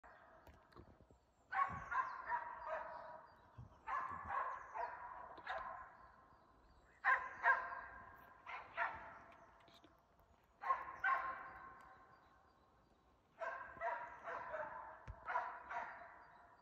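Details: Stella, a Norwegian Elkhound hunting moose in Halna in mid-February, bay barks at a cow and calf. Sharp, ringing barks come in quick bursts of three to five, separated by brief pauses, and sound somewhat distant.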